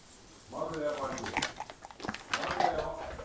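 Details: Impatient Beagle that cannot wait, giving drawn-out, high, whining cries: one long wavering whine, then broken yelps and a second shorter whine near the end, indoors, with a little background voice.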